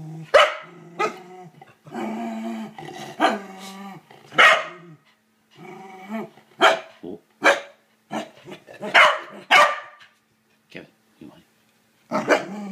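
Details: Agitated corgi, Kevin Bacon, objecting to a toilet brush: growls and barks mixed early on, then a run of short, rapid yaps and snaps with brief pauses and quieter gaps toward the end.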